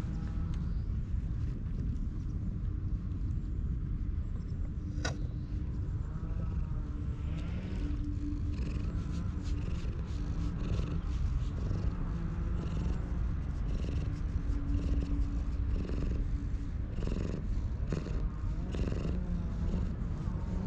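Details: A stray cat in Japan purrs while being stroked and rubbing against a wall, filmed on a GoPro: a steady low rumbling purr throughout, with faint rustling and a brief click.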